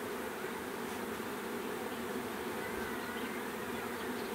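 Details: Bee swarm humming in a thick, even drone for a few seconds, many wingbeats blending into one constant buzz with no pauses.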